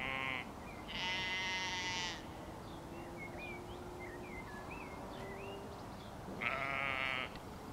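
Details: Mother sheep with her lamb at Gaarweg, Hellevoetsluis: a brief bleat opens, then a long, strained bleat of about a second, and another near the end, with small birds chirping between calls over a constant low background hum.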